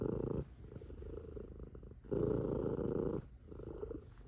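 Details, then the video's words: A sleepy, chubby tabby cat purrs deeply and loudly, a rumbling, engine-like drone that swells and fades with each breath, louder bursts alternating with softer stretches. "Booming Purring Sleepy Chubby Tabby Cat"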